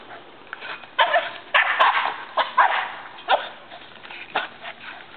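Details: Excited barking during a tetherball match between Labrador Retriever Jena and Boston Terrier Franklin, short sharp barks fired off irregularly, about one per second, with a rough, noisy tone.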